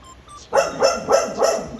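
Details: A Siberian Husky or Golden Retriever dog gives four quick, sharp barks in a row, barking at her own reflection on the TV.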